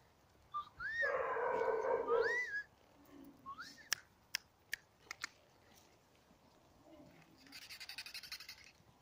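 Hungarian vizsla puppies give a high, wavering whine that rises and falls, followed by soft clicks.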